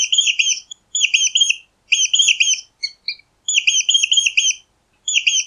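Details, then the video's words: A mouse gives bursts of fast, high, rippling squeaks about once a second, with a couple of tiny separate peeps in the middle; the background is clean and silent. "Mäuse Quietschen 🐭 Mausgeräusche"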